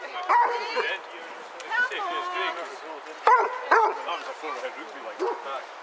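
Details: A pack of eight Basset Hounds walking together at Burghead Bay, Elgin, Scotland, 7 September 2014; scattered baying barks and yelps from several dogs overlapping, with human chatter beneath.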